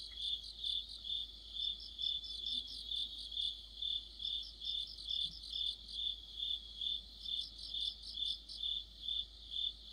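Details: Chirping crickets fill a late-autumn night chorus with rhythmic high notes, about 133 pulses per minute, while groups of faster, higher-pitched trill notes come and go above them.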